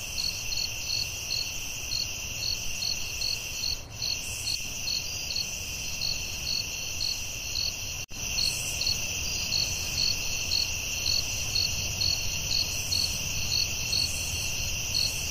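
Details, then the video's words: Crickets at night in a forest, a steady high chorus with a bright chirp repeated about twice a second over a continuous shrill trill, with soft low rumble beneath and a brief click near the middle. "Soothing Cricket🦗 Sounds at Night"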